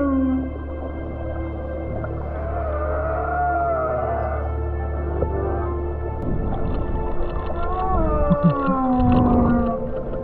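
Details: Humpback whales heard underwater by swimmers close to them give long, sliding moans and tonal whoops over a low rumble, sound felt as vibration through the body.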